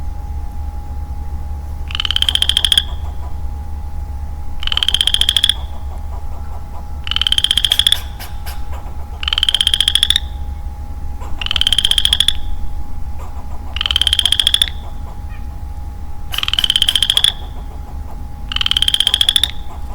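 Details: Male Western Chorus Frog alone in woodland in early spring, calling steadily: eight rising, finely pulsed creaky trills, each about a second long, spaced roughly two seconds apart over a constant low rumble.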